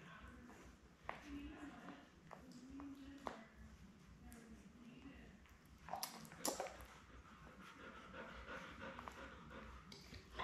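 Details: Newborn Labrador Retriever puppies, a litter of seven born May 24, 2021, indoors with their mother Belle: soft, low grunting whimpers and panting, broken by sharp clicks and rustling, with murmured human voices.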